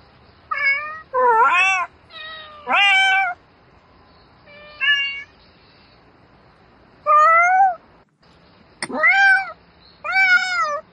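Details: Domestic cat calling at night for a mate, giving a rapid series of loud meows, some short and some drawn out, arched in pitch with rich harmonics, about eight calls separated by brief silences.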